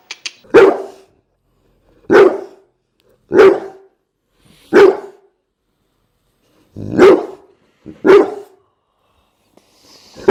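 A Bullmastiff barks in heavy, resonant single woofs, each short and forceful with a slight gruff edge. The barks come in an irregular series separated by brief silences.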